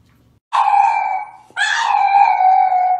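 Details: French Bulldog indoors giving two drawn-out, wavering howls, the second starting higher and trailing off into a long steady tone.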